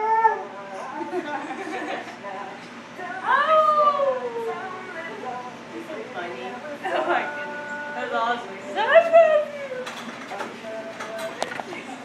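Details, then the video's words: A husky in a pet grooming salon howls in drawn-out, wavering bursts that rise and then slide down, with talky yips between. "Howling husky"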